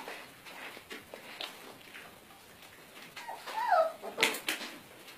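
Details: German Shepherd puppies: one clear falling whine slides downward late in the recording, surrounded by soft scuffling, clicks and quiet movement noises.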